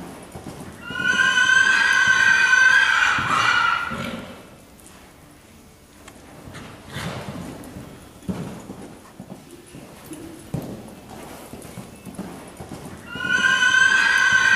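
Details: Horse running around an arena, giving a loud harmonic whinny of about three seconds that falls and wavers, then quieter hoof and movement sounds, and a second whinny starting near the end.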